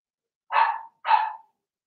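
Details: Cavalier King Charles Spaniel puppies, Blenheim-coloured, from Remy's first litter of six, kept indoors in a puppy pen while potty training; two loud, rough, noisy barks in quick succession, half a second apart, in a quiet room.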